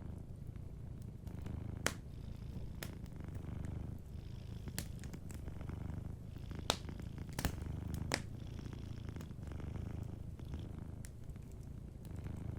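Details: Soft purring from a sleeping cat near a crackling fireplace: a dominant low, pulsing rumble with only faint, sparse pops and snaps from the fire in the background.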